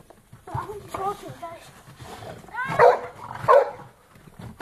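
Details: Boxer dogs at play in the snow give two loud, harmonic barks close together after a soft stretch of human talk.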